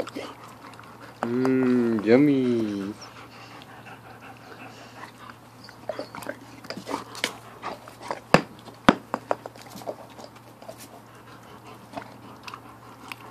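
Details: Kuda, a pet husky/wolf mix, indoors while eating a watermelon, gives a wavering, drawn-out vocal lasting under two seconds. Crisp chewing and crunching clicks follow, with a person's voice nearby.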